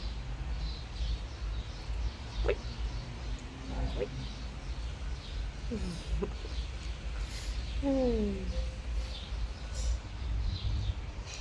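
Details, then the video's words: Talkative little red male cat asking for attention and affection, a chatty kitten: several short, wavering meows, the last one sliding downward, over steady low background rumble with small birds chirping faintly and a human voice nearby. "My talkative little red cat asks for attention and affection! Chatty kitten"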